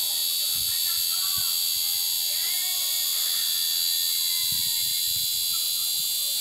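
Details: Cicadas in an aroeira tree: a loud, steady, high buzzing drone fills the whole stretch without a break, while faint bird chirps and whistles sound softly beneath it.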